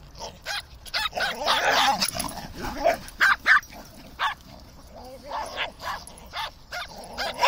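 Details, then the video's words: Several terriers, among them a Maltese, a Dachshund and a Fox Terrier, play-fighting with shouting, growling and barking; quick overlapping yaps and barks, roughly four a second, with a brief noisy scuffle early on. "Terriers shouting and running about"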